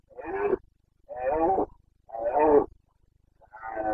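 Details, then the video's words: Breeding-season bellowing of a Carpathian red deer stag in Bucovina, Romania, late September 2022: a series of four short, rough, harmonic roars, each about half a second long, repeated roughly once a second in a quiet setting. "Boncănit / Carpathian stag Breeding season"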